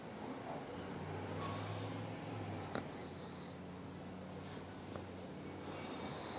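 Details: Darla, a pug, snoring loudly indoors: low, droning rasp drawn out in two long breaths of about two seconds each, separated by a brief sharp click, in a quiet room.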